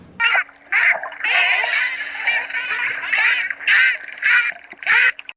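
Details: Dolphin burst pulses: harsh, squawking bursts of rapid clicks, repeated about once a second. These are sounds made when chasing off sharks or fighting one another.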